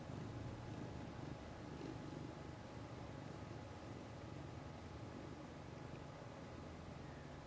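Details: Toshiro, a 3-year-old male mackerel tabby cat, purring indoors while kneading his catnip-infused knit pillow after being rubbed; a quiet, steady low rumble pulsing rapidly throughout, with a faint constant hum in the background.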